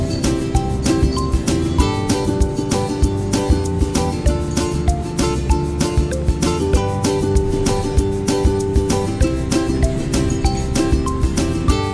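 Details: Strummed guitar music with a steady plucked rhythm plays throughout, with no animal sounds.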